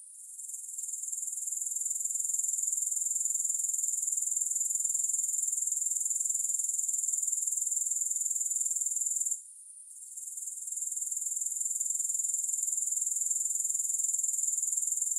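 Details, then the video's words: Grasshoppers sounding without music: a thin, high, rapidly pulsing trill that swells in over the first seconds, cuts out briefly after the midpoint, and returns steady to the close. "Grass Hopper Sounds"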